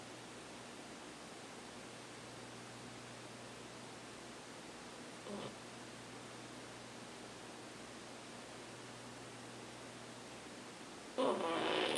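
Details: Even hiss with a low hum, a brief soft bump midway and a burst of rustling at the end, without audible snoring or other animal sounds.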